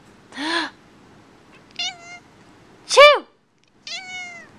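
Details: Keira, a house cat that dislikes sneezes, answers two sharp sneeze-like bursts with short, clear, slightly falling meows, one after each burst, over about four seconds indoors.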